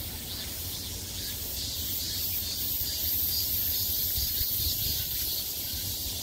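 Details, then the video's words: Cicadas at the height of summer, heard from all around: a dense, unbroken high hiss-like buzz that swells slightly toward the middle, with a faint low rumble beneath. "매미소리를 들으며 휴식. Cicadas's buzzing sound"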